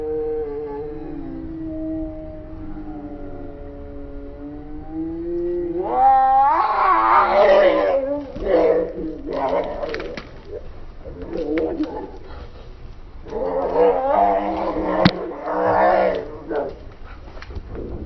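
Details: Fighting cats, angry: a long low steady growling yowl slides up into loud wavering screams, then bursts of harsh caterwauling with pauses, climbing again near the end.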